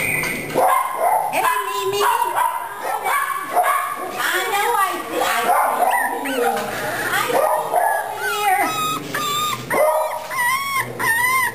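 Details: Cavalier King Charles Spaniel puppies from Cookie's litter, just moved to the puppy pen, with the big boy upset; high whimpers and yips with wavering, rising and falling whines, under a woman's steady baby-talk voice.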